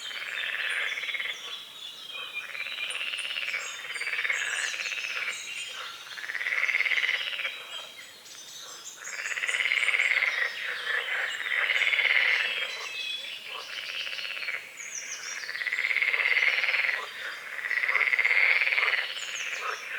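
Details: Frogs croaking at dawn over a small lake at a forest edge, with morning fog on the water among calamus and water lilies; swelling, trilled croak bursts roughly every two seconds overlap in a dense chorus, with faint bird chirps above.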